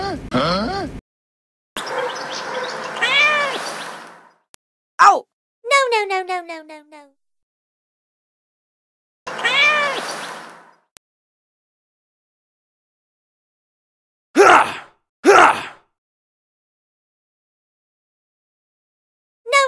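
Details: Two little kittens meowing, with a series of drawn-out, arched, rising-then-falling meows in separate bursts, some overlapping noisy sounds, and a few short loud knocks in between.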